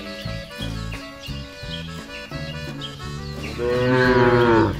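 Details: Tame fattening cattle roaming free across village fields and rice paddies; plucked background music carries most of the stretch before one loud, sustained moo rises over it near the end, holding steady then dropping away.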